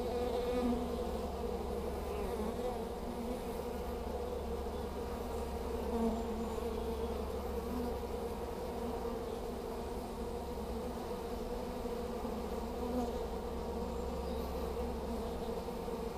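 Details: Honey bees fanning at a new hive entrance during swarm collection in Hampshire, May 2015, with plenty of bees entering; an unbroken busy buzz over sixteen seconds, a few individual bees passing closer.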